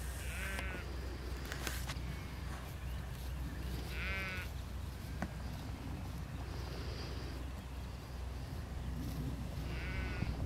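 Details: Sheep bleating in a field while a border collie works the flock: three wavering, quavering bleats spaced about four seconds apart over steady low wind rumble and occasional faint clicks.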